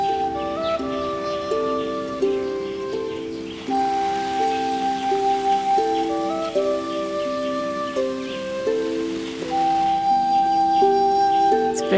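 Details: Soft sustained music with shifting chords plays over a steady rain-like hiss, and no animal voices can be picked out.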